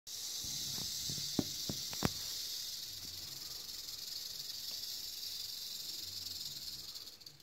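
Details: Kept eastern diamondback rattlesnake (Crotalus adamanteus) rattling: a steady, high, hissing buzz held throughout, with a few sharp knocks and clicks in the first seconds.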